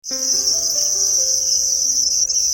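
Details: Red cricket calling in a continuous high, steady trill that holds without a break for the whole stretch, with faint low tonal hums underneath.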